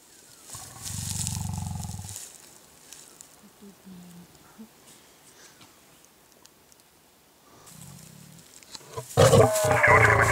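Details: Old limping male lion guarding a lioness in oestrus from a rival coalition male in the wild; a low rumbling growl early, softer grunts, another brief growl, then vehicle or handling noise at the end.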